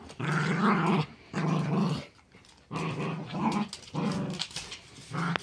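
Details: Playing tug of war with a pink dragon toy, two dogs, one a chihuahua/terrier mix and the other a great pyrenees/lab mix, let out low, steady growls. The bursts last about a second, with a quieter gap in the middle.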